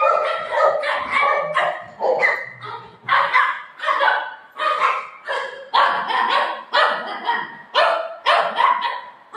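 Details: Golden retriever dog and shih tzu puppy fighting: a steady run of loud, rough barks repeated about every half second for nine seconds, some yelping, with a low growl early on.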